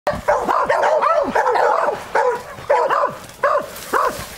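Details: Beagle at work on wild boar: sharp, high yelping barks in quick bursts, each note arching up then dropping, coming in clusters roughly every half second to a second with short pauses between.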